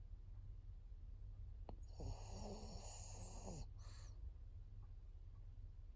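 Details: Senior fawn pug Maria, a fourteen-year-old female in Japan, recorded 22 September 2024. She draws a harsh, rattling snore lasting nearly two seconds, followed by a brief airy puff out. Low background hum throughout.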